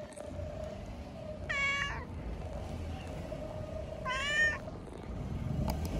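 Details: A drowsy cat on a bench, licking itself, lets out two clear harmonic meows about two and a half seconds apart, each dipping and then rising. A low rumble of distant traffic continues underneath.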